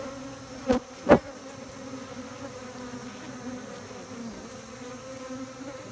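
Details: Honey bees humming in an apiary: a steady low drone throughout, with two loud sharp knocks near the start, then an unbroken buzzing hum.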